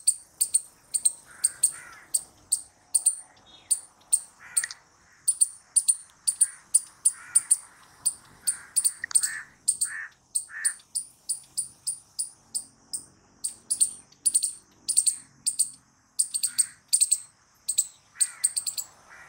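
A squirrel gives a long run of sharp, high chipping calls, several each second.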